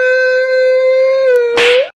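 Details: Domestic cat howling after pooping, 'talking to the moon': one loud, steady, drawn-out yowl held for nearly two seconds, rich in overtones, dipping slightly before ending in a brief noisy burst.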